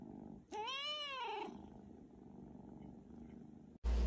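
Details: Cat's single loud meow, curving up and down over about a second, followed by quiet rumbling and then an abrupt burst of low-pitched noise at the very end.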